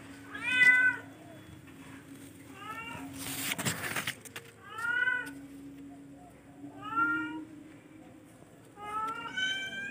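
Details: Domestic cat of the charcoal F1 type meowing repeatedly, short arched meows every couple of seconds, interrupted midway by a brief burst of broad rustling noise, with a faint steady hum behind.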